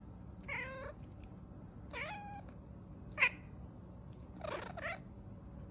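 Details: Domestic cat giving four short meows spread across a few seconds, each harmonic and slightly falling, the last one longer and more drawn out, over a low steady background hum.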